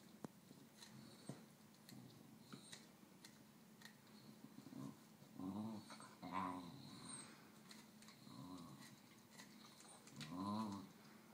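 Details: Pet Basenji dog wanting the snack of a second Basenji described as barkless; low, throaty growling whines in short harmonic bursts, clustered around the middle and again near the end, with scattered soft clicks and knocks between.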